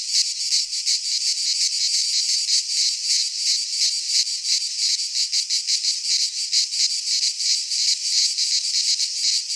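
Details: Greek pine forest cicadas in midsummer produce a shrill, throbbing buzz, its pulses repeating about three per second over a constant hiss of many insects.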